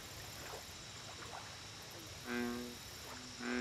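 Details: Two short, rich bullfrog croaks at a lake near the end, rising out of quiet ambience. A continuous high insect hum runs beneath.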